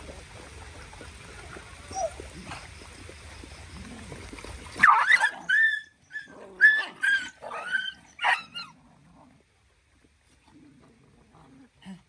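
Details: Dogs roughhousing together; background noise hiss at first, then a burst of high yelping barks and growly whines, fading to faint grumbles and quiet near the end.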